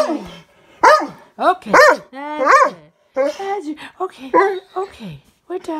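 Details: Labrador and Great Dane mix dog howling along at night during a nightly sing-along routine. Short yelping bursts, rising and falling whining howls and a few sharp barks come in uneven phrases, mixed with a person's voice.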